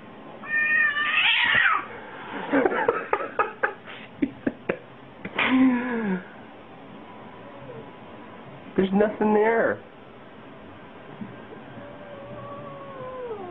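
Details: Domestic cat indoors giving several drawn-out, wavering meows, loud and strained near the start, middle and around nine seconds, with sharp clicking taps between them and human voices in the background.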